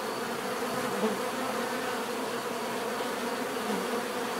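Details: Steady natural bee buzzing, an even layered drone from numerous insects with one short louder hum of a passing bee early on.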